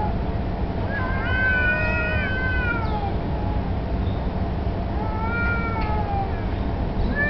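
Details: Two street cats in a standoff over territory, or perhaps mating, as a black cat turns submissive: a loud bending yowl swells and fades, a pause, then further rising-falling wails over constant low background rumble.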